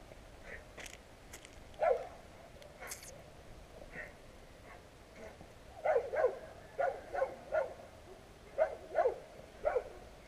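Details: Loud street dogs barking at anything and anyone passing, recorded on a GoPro Hero. Scattered single barks open, then rapid paired and tripled barks repeat steadily through the second half, with a brief human comment after.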